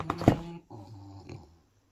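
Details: French Bulldog indoors during a phone unboxing, said to have strong opinions on the new phone, gives a low, rumbling, throaty grumble lasting under a second after a brief louder snort-like noise.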